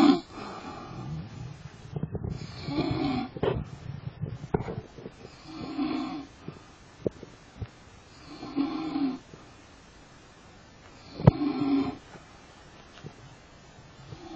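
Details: Lion snoring, with deep rasping breaths in slow bursts roughly every two to three seconds, each rough inhale-exhale rumbling low, with quieter gaps between.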